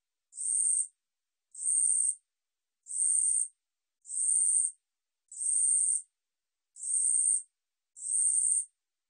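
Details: Ussuri katydid song from Korea's National Institute of Biological Resources, 2020, delivering seven evenly repeated shrill buzzing pulses, each just over half a second, about one every 1.3 seconds, with nothing else audible.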